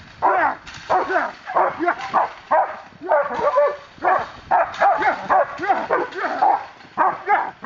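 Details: German Shepherd police dog named Ricon, trained by Miami K9 Enforcement, barking during aggression control work: rapid volleys of loud, deep, harmonic barks, roughly two per second, almost without pause, with a faint voice between bursts.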